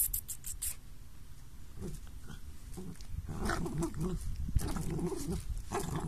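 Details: Playful little dogs growling low and gruffly, quiet at first and then building into a louder run of rough, rapid, snorting grumbles in the second half.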